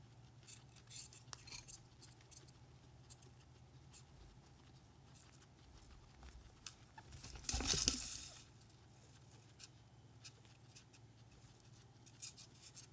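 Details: Four pet guinea pigs, Ozzy, Ginger, Speedy and Daisy, chilling indoors during a piggy cam session; soft irregular crunchy munching and patter clicks, quick rapid bursts, with a louder rustling burst around the middle and steady low hum.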